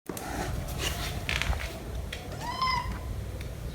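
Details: Domestic cat during a reunion between the kitten Jumper and his mother after one month apart. A single short meow rises and falls near the end, over a steady low background rumble and scattered soft knocks.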